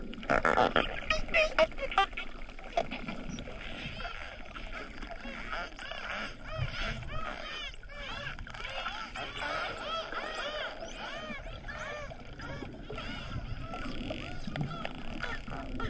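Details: Hawaiian spinner dolphins heard underwater: dense overlapping whistles sweep up and down, many short looping and arching tones crowding together, over a low watery rumble and scattered clicks.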